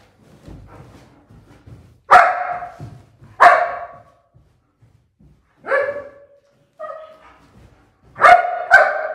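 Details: German Shepherd barking while protecting another dog: six loud, sharp barks, mostly a second or more apart, ending in a quick double bark, with faint rustling and thumps between them.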